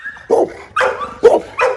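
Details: Dog giving four loud, short, harmonic barks in quick succession, roughly every half second, each with a sharp onset and a brief tail, against a quiet background.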